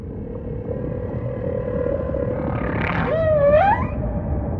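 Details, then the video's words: Humpback whale song over a steady, deep ocean rumble: a long, low, held moan, then a clear tonal note that dips and sweeps upward, with a brief rising whoop near the end. "Majestic Whale Song · beautiful humpback"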